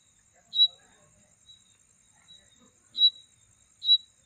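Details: Night insect giving a mating sound: a few sharp, high tonal chirps spaced irregularly, roughly one to two seconds apart, over a constant faint high-pitched drone from other insects.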